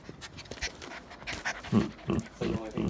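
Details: Luna, a young female Pomsky (Pomeranian crossed with Husky) living with a family in Pennsylvania, pants indoors, with rhythmic breathy bursts roughly every third of a second that grow louder toward the end. Soft human voices are heard nearby.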